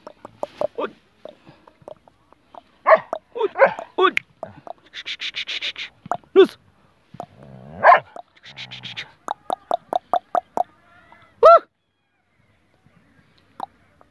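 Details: German Shepherd in Peshawar, Pakistan barking in rapid, irregular volleys mixed with human talk and the name "Jimmy" being called, then falling quiet for the final few seconds.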